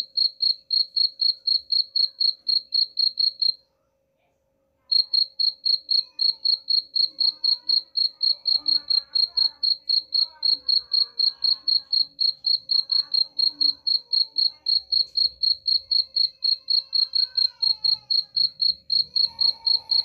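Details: Chirping of a cricket, played to chase away rats: rapid high-pitched chirps about four per second, broken by a brief silent gap near the start, then resuming steadily over faint rustling background sounds.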